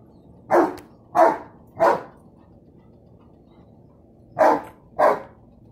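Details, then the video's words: Dog barking at a balloon: five short, sharp barks, three in quick succession about two-thirds of a second apart, a pause of over two seconds, then two more. "my dog barking at a balloon"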